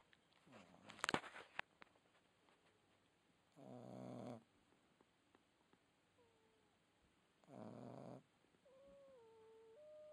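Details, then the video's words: Red Boston Terrier puppy snoring indoors: two rasping, breathy snores about four seconds apart, each lasting under a second, with faint thin whistling tones between breaths and a brief clatter at the start. "Red Boston Terrier Puppy Snoring"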